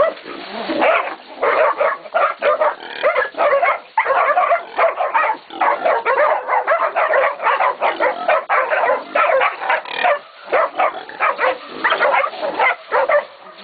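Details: Catahoula and BMC pups aged 16, 11 and 14 weeks baying a pig at Golden Creek Catahoulas Kennel; a chorus of rapid, overlapping high yips and barks, nearly continuous with brief gaps, several pups calling at once.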